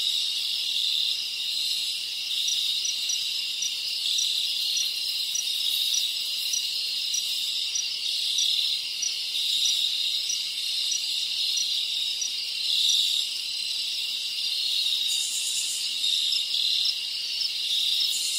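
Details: Crickets of the Dominican Republic rainforest form an unbroken high-pitched chorus of overlapping trills. The sound is steady and shimmering, with soft rhythmic pulses and brief brighter swells, and no other animals or people stand out.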